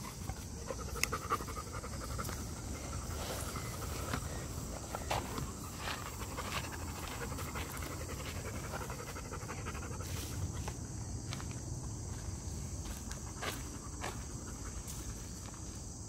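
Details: Milan, a female pet dog, pants after a two-hour walk and hike, ignoring a nearby bird; steady rhythmic breathy puffs repeat for the whole stretch, with faint outdoor background hiss.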